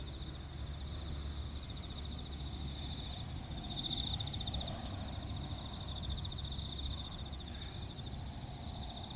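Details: At Kinokawa Service Area, Wakayama, bell crickets sing a continuous shimmering, pulsed ring with short brighter bursts. Other insects trill higher, and a deep, constant roar of vehicles underlies the chorus.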